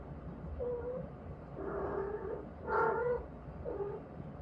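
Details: Cat named Kkaedong, which came into the yard and would not leave, heard on a day of pouring rain: several short tonal meows with clear harmonics, then a louder wavering cry, over a steady hiss of rain.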